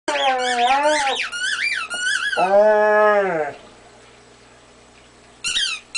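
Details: A male Weimaraner "talks" to his toy with drawn-out, wavering whines that bend up and down in pitch like speech; he notices halfway through that he is being watched. After a quiet pause, a few brief high squeaks follow.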